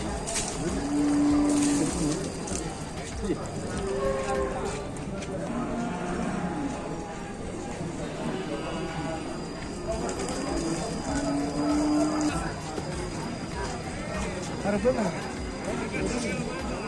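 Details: Cattle at the Grabag cattle market in Indonesia: two short, steady, low moos, one near the start and one about ten seconds later, over constant crowd talk and faint background music.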